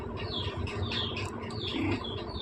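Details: A litter of five newborn Persian kittens, born to the pet cat Chaki the night before last, gives a string of short, thin, high mews at an uneven pace over a faint low hum.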